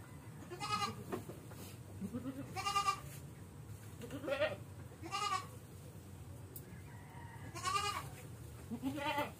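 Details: Ailing goat with a navel infection and stiff legs, during an antibiotic treatment, bleats repeatedly: about six wavering, nasal cries spaced one to three seconds apart, some short, some drawn out, with faint background hum.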